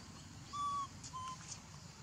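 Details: Tiny baby monkey named Leo crying: two clear, flat whistled notes, the first longer and steadier, the second shorter, over a soft steady background hiss.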